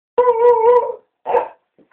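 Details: Oliver the beagle gives a sustained, steady baying howl lasting nearly a second, followed by a short gruff bark-like burst, then silence.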